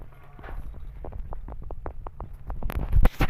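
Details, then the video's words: Starving rescue kitten eating while holding its food in its claws, making a steady run of soft smacking, clicking chews, roughly four a second, over a low rumble, ending in a few louder bursts. "Starving Rescue Kitten Generating Funny Noises While Eating"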